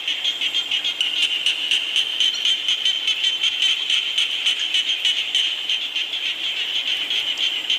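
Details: Frogs croaking in the rain: a dense chorus of high, rapid pulsed calls about four per second, layered into a steady ringing band, many callers overlapping without pause.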